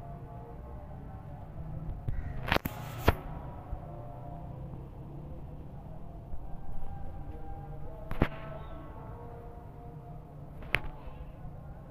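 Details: Quiet background music with a low hum, broken by a few sharp clicks and snaps.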